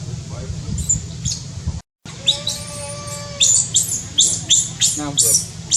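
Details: Newborn baby monkey, born high in tall trees in Cambodia: thin, high-pitched squeaky chirps come in quick bursts, with one drawn-out steady tonal coo in the middle, over a constant low hum.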